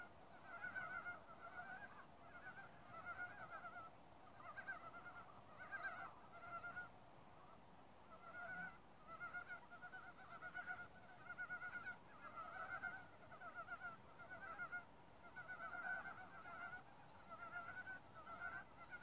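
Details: Frog chorus in a forest, the animals calling together after first going silent at human presence. Rhythmic bursts of reedy, pulsed croaks repeat roughly every 1.5 seconds, many voices overlapping steadily.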